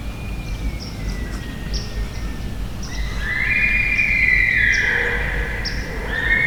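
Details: A sika stag on Maryland's Eastern Shore marsh, an unusually big-voiced stag recorded during sika hunting, gives a loud, high, whistling scream that swells and holds, after a fainter sliding whistle.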